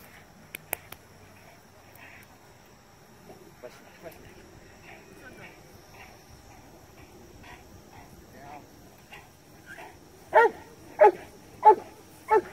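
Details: Cane Corso doing PSA PDC protection work: after a quieter stretch of talk and faint, scattered sounds, four loud, deep, harsh barks come about every 0.65 seconds at the end.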